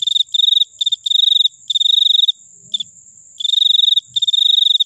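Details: Cricket giving rapid, pulsed high chirps in short trilled bursts, each lasting under a second, with brief gaps between groups and a steady faint high hum behind.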